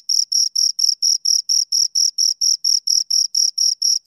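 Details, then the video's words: Pair of crickets stridulating near the microphone: bright, high, rasping chirps spaced evenly at roughly four per second, clean background without other noise. "Two Crickets Chirp Sounds"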